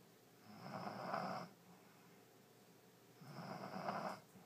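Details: Allie, a French Bulldog, sound asleep in her new bed on New Year's Day 2012, snoring loudly indoors: two rasping, rattling snores about two and a half seconds apart, each lasting roughly a second, with quiet breathing between.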